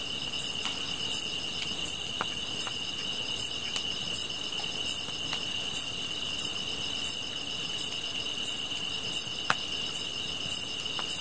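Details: Chorus of insects: an unbroken high trill overlaid by crisp, evenly spaced high chirps at a bit faster than one per second, with scattered faint clicks and snaps.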